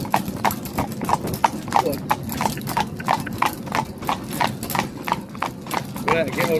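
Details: Welsh Cob, Bow, a six-year-old gelding being trained to carriage drive while being broken to harness: steady clip-clop of hooves, about three sharp strikes per second, over a low rumbling background, with a brief human voice near the end.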